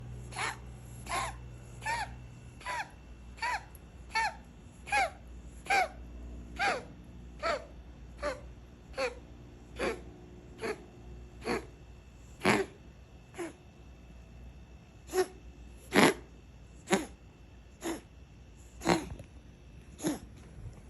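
A Ragdoll cat coughs in a long run of short, harsh, breathy hacks, about one each second.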